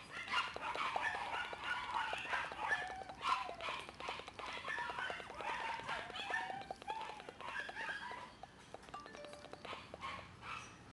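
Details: Female black Shiba Inu pup, born 11 September 2011 and filmed 12 October 2011, sends out a steady run of brief, high, squeaky yelps and whines, several per second without a regular beat, over a faint background hum.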